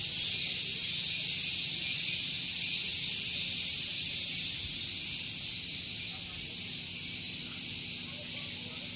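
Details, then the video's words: Shrill morning chorus of tonggeret cicadas at Gunung Geulis in Bogor, West Java, close to a car park. A steady, hissing buzz with regular rapid pulsations, growing slightly quieter toward the end. "Relaksasi Suara Tonggeret || Santuy Pagi Ditemani Suara Tonggeret"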